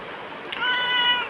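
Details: Pet black cat Bagira talking back to its owner with one drawn-out, even-pitched meow in the second half, following a woman's Tamil voice telling it to go eat the food in its dish.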